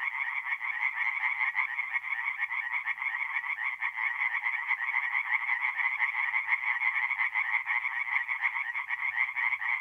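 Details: Many tree frogs calling together from a forest pond at night in April in north-eastern Italy, their fast, raspy croaks blending into an unbroken pulsing chorus.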